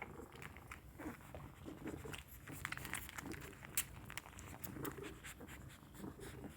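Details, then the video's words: Kittens suckling milk indoors, a soft irregular run of wet smacking clicks over low room noise. "Sound effect of suckling milk is so adorable"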